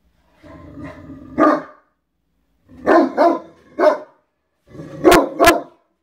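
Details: Indoor play on a bed between Great Danes, one being Drake, a black Dane settling in three weeks after arriving; a low rumbling growl rises into a bark, then quick pairs of barks follow.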